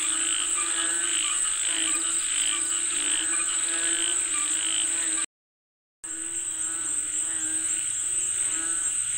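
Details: Frogs calling for rain: a dense chorus of pulsed, throaty croaks repeating rapidly and overlapping, with a steady high insect-like hiss above and a brief silent break in the middle.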